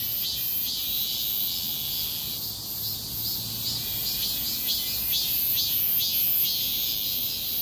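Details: Street chorus of many cicadas in a heatwave, a continuous shrill high-pitched drone with rhythmic surging pulses about twice a second, light low background rumble.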